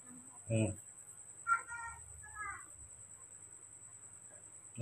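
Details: Newborn baby monkey calling for milk, giving two short tonal squeals with bright stacked overtones, the second slightly wavering, after a brief murmured human voice in a quiet room.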